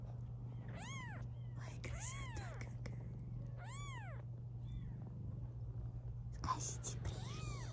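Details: British Shorthair kittens, 16 days old, from a litter of five of different colours born to a black mother cat, give thin, high, arched mews, several in a row, over a steady low hum.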